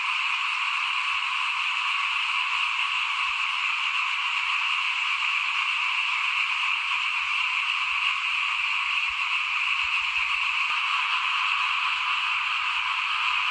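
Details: In front of a house at rice sowing time in 2021, many frogs keep up a constant, even high buzzing trill. Faint low rumbling sits underneath.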